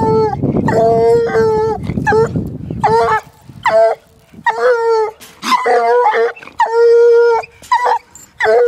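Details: Young female Walker hound, one year old, baying at a caged raccoon: loud, sustained ringing howls broken by short choppy yelps, with some rustling and scuffling at the start.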